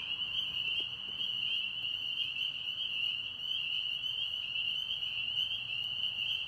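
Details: Tennessee pond frogs singing together: a constant high, ringing trill fills the whole stretch, with a faint low background hum.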